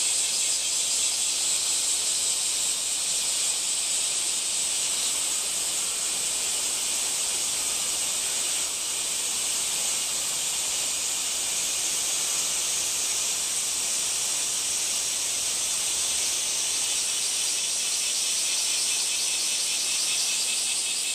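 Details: Long unbroken cicada drone, a hissing high buzz that stays level for over twenty seconds, with a slight dip partway through.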